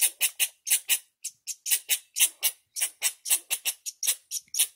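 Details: Angry squirrel startled on Deer Mountain during a descent from 10,000 feet, scolding with a rapid series of sharp, harsh chips repeated several times a second in uneven bursts, no other clear sounds.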